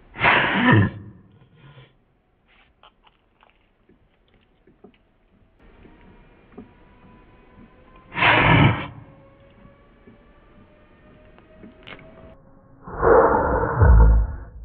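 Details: Ruusu the cat coughing, slowed down in slow motion; three deep, drawn-out rasping bursts spaced several seconds apart, with faint low hum between them.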